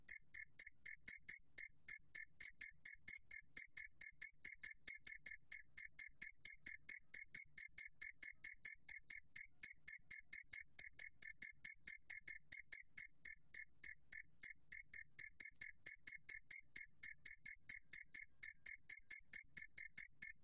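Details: Two-spotted cricket, released in 2020 by Korea's National Institute of Biological Resources: a steady stream of bright, high chirps, about three per second, each a short clean pulse with a fainter lower tone. No other sounds against a silent background.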